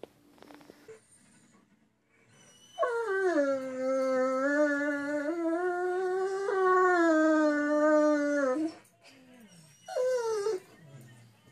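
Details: Great Dane pup seeking attention with a long sustained howl lasting about six seconds, steady in pitch with slight wavers, then a short falling whine after a pause; faint background hiss indoors.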